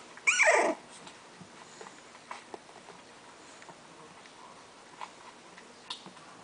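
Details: A litter of six English Bulldog puppies, four female and two male, gives one loud, high whine that slides steeply downward for about half a second, followed by quiet scattered clicks and rustles indoors.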